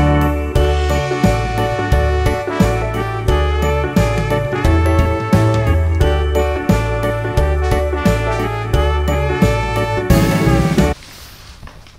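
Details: Bouncy jingle music with chimes, horns and a steady beat plays for about eleven seconds, then drops to a quiet hiss.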